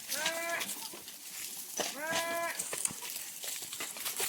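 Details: Domestic goats on a farm, very thirsty during extremely hot weather, bleat twice: quavering, harmonic-rich bleats of about half a second each, separated by a pause of over a second. Constant crackling, rustling noise underneath.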